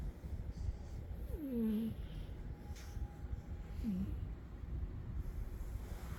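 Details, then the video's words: Sleeping cat named Umi snoring, each breath bringing a thin nasal whistle that swoops down and levels off, two of them roughly two and a half seconds apart, with soft low rumbling throughout and a quiet indoor background. "Umi the cat sleeping and snoring"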